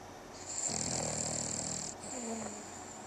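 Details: A sleeping Boston Terrier lets out a long, raspy, creepy-sounding snore with a fluttering rattle, then a quieter, lower-pitched follow-up breath, over a steady high hiss.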